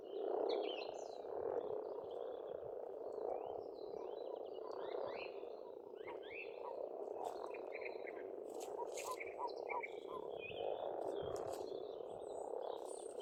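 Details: Frogs chorusing at a pond in Estonia during spring, a thick continuous croaking drone that pulses gently, accompanied by lively bird song with many quick chirps and trills, busier in the second half.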